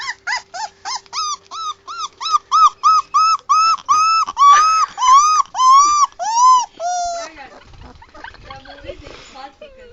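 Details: Unsettled puppy in a newly made place, crying in a run of rising-and-falling whines, two to three per second at first and then slower and drawn out, before fading into soft rustling and quieter sounds.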